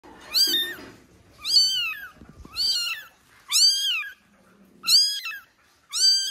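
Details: Kitten crying for its mother indoors: six loud, high-pitched meows, each rising then falling, repeated roughly once a second, with faint rustling between cries.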